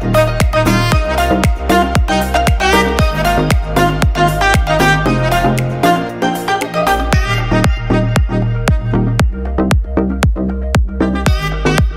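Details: Loud electronic dance music with a steady beat and synthesizer chords fills the whole stretch.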